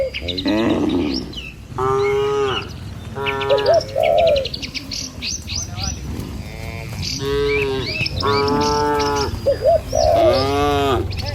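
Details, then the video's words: Dozens of tame cattle in a herd running toward their pen along a village road in the morning; repeated long harmonic moos, about six across the stretch, some low and some higher and wavering, with faint bird chirps and trampling hooves. "Puluhan Kawanan Sapi Lembu Berlarian Menuju Kandang, Suara Moou Sepanjang Jalan Desa Indah"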